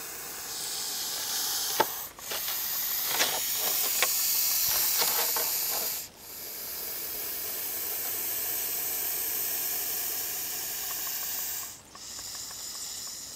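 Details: Male Montpellier snake hissing: long, continuous, breathy hisses separated by brief pauses at about two, six and twelve seconds. A few faint clicks and rustles are also heard.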